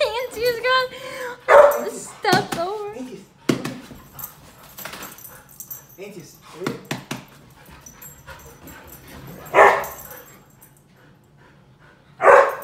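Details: Two Siberian Huskies, Dante and Antaeus, fighting over a new Purple bed; opening high wavering whines, then abrupt loud barks around one and a half, nine and a half and twelve seconds, with human speech mixed in.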